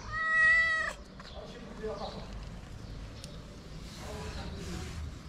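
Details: Stray cat in Morocco calling for food, one loud, bright meow lasting under a second, followed by quiet background rustling and faint distant sounds.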